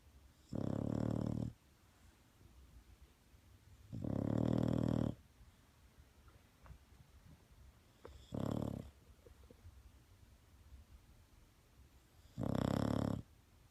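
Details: Bulldog asleep, giving deep, raspy snores, four drawn-out rumbling breaths at intervals of about four seconds, quiet in between.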